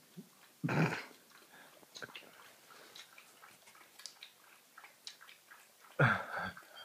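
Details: Jug dog, an energetic household pet, lets out two loud, harsh, rasping barks about five seconds apart, with soft rustles and thumps between them.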